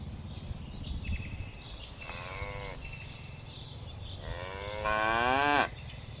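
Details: Tame cattle descending a hillside on a mountain slope: two moos, a brief one and then a longer, wavering bellow. A steady low rumble and scattered bird chirps sit behind them.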